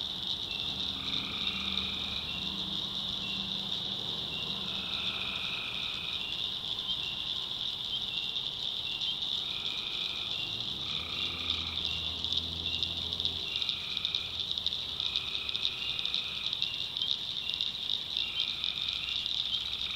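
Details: Swamp at night in North Carolina's backwoods where tree frogs keep up a steady high trill, while buzzy harmonic notes roughly a second long recur every second or two and deep rumbling croaks surface midway.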